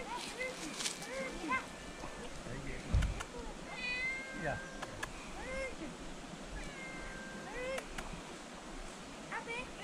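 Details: Hungry stray cat in Adjuntas, Puerto Rico, being fed by travellers, gives a run of short, rising-and-falling meows, some clustered closely together, while people talk over it outdoors.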